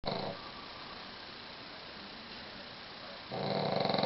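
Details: Golda the Pug asleep, curled up in a bathroom beside Fergus the Westie. A quiet, breathy, rattling snore sounds at the start, then soft hiss, then a louder buzzing snore returns near the end.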